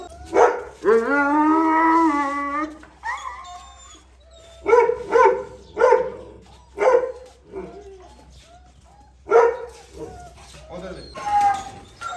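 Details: Male and pregnant female Gultair dogs at a kennel: a long, drawn-out tonal whine or howl lasting about two seconds, then a string of sharp single barks spaced one to two seconds apart.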